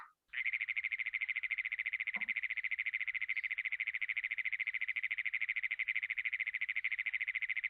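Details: Great Plains toad in Iowa, played back during frog and toad call survey training: one long, very mechanical trill, a rapid buzzing pulse held steadily for about seven seconds, likened to an engine that won't turn over.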